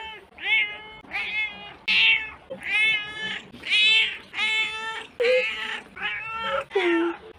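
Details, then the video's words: Pet cat giving a quick run of bright, arched meows, roughly one every second, each clear and harmonic with slight upward bends, loud and close, nothing else notable. "Cat meows compilation"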